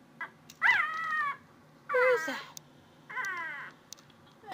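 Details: House cat Athena, looking for a noise indoors, gives three long harmonic meows about a second apart, the middle one loudest and sliding downward, preceded by a short soft chirp.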